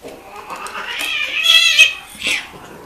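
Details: Loud, high, nasal wail from cats mating, climbing in pitch, breaking off, then a shorter harsh squall follows, close and clear.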